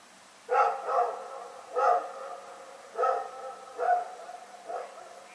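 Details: Night barking by Rex the dog, recorded February 27, 2018: a steady run of five or six harmonic barks, roughly one every second, each with a brief ringing tail, over low constant background hum.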